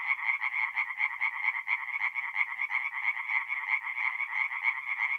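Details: Singing tree frogs in a forest pond by night, mid-April, north-east Italy; a fast, regular train of harsh croaks, roughly a dozen pulses per second, layered over a constant rattling background from other frogs.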